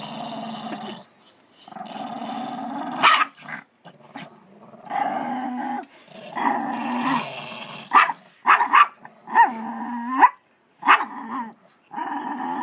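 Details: Female dog guarding her treat from her sister from inside a laundry basket: long low rumbling growls rising into snarling, whining peaks, with brief pauses and several sharp bursts in the latter half.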